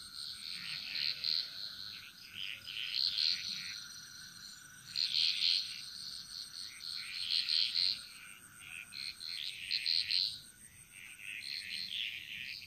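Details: Frogs chorusing in the Bali jungle: bright, bubbling bursts of overlapping calls swell about every two to three seconds, with quieter calling between them, over a steady high-pitched whine and a constant thin tone.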